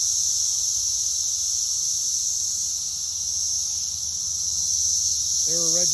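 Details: Brood X periodical cicadas in South Central Indiana, massed in a backyard pear tree at a reported 113 decibels, give an unbroken high shrill drone; a man's voice starts speaking near the end.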